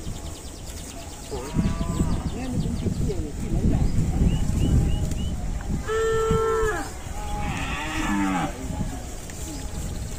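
Cows give several drawn-out, nasal moos with strong harmonic bands, overlapping low background noise.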